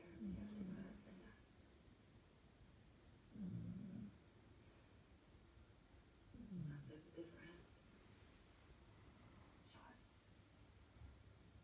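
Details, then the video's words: Sleeping German Shepherds in a pack snoring: low, rough breaths swelling roughly every three seconds, each a short rumbling burst with quiet gaps between. "Sleeping German shepherds"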